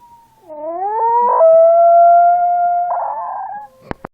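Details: Small dog's howl rising from a low start into a long steady tone with a rough break at the onset and another near the close, lasting about three seconds, followed by two sharp clicks.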